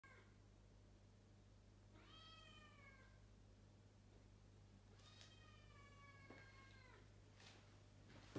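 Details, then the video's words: Luna, a pet cat in a family home in Japan, meowing first thing in the morning at 6 am after learning that a flushing toilet upstairs means the family is awake; two drawn-out harmonic meows with a steady low hum behind. "Luna meowing first thing in the morning 6am"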